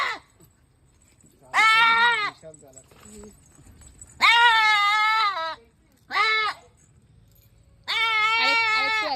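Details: A goat gives loud, drawn-out, wavering bleats of about a second each, four calls separated by pauses, with people talking nearby.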